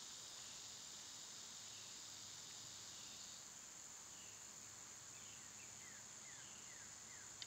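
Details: Summer insects, cicadas among them, hold a steady high, thin whine. The drone fades after about three seconds, leaving faint chirps and soft background noise.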